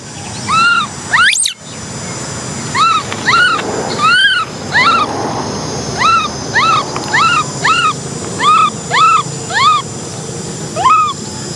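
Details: Cola, a baby orphan macaque, cries because she wants to ride a bike; a sharp rising squeal opens, then a string of high, bowed whimpers at irregular intervals, nearly two per second, over a steady hum.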